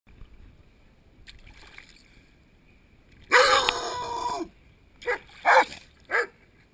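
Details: A Rottweiler in a swimming pool on a warm summer afternoon barks at an underwater GoPro and a hand: one long, strained, harsh bark, then three quick, clipped barks about half a second apart, amid splashing, slightly muffled water.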